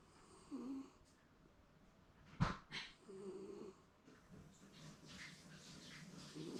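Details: Shiba Inu Momo napping contentedly indoors at home, possibly dreaming: soft, low snoring breaths recur every few seconds, broken by a sharp click and brief rustling.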